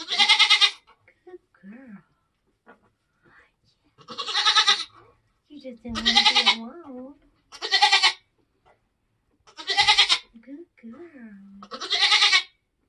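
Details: Nigerian Dwarf doe kidding on a homestead: six loud, rasping bleats spaced roughly two seconds apart while she gives birth, with soft human speech in the gaps.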